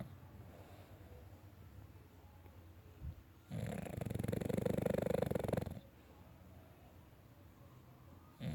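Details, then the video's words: Sleeping pet dog snoring, one loud buzzing, rattling inhalation lasting about two seconds amid otherwise quiet low background hum. "My dog sleeping and snoring"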